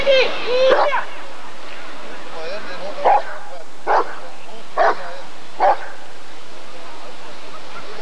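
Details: Rottweiler at the 1994 ADRK Körung breed survey: after a stretch of human voice, four sharp, separate barks ring out about a second apart, with background hall noise throughout.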